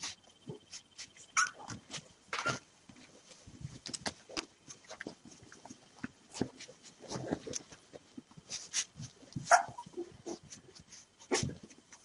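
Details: Five rescued three-day-old puppies waiting to be hand fed milk give short high squeaky whimpers, scattered among soft rustling and clicking movement noises.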